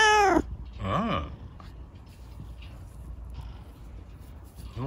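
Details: Rescued kitten Chico, lame-legged after an accident, being scratched by dad at bedtime indoors at night. A loud, clear falling meow opens, then a shorter rising-and-falling meow a second later, with quiet room hum and faint rustling afterward.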